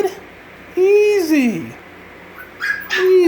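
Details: Six-week-old Havanese puppy indoors whining in drawn-out, arching cries that rise then slide down, with short yelps between, a person calmly hushing it.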